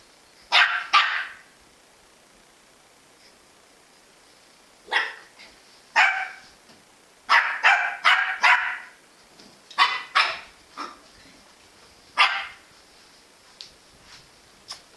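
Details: Jack Russell Terrier barking in sharp, bright bursts, single or in quick pairs and triplets, with pauses of up to several seconds between rounds and a quiet background.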